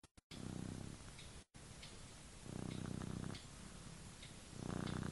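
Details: Domestic cat sleeping and dreaming, snoring in soft, low, rasping breaths about one second long, each followed by a quieter pause, with a few brief clicks near the start.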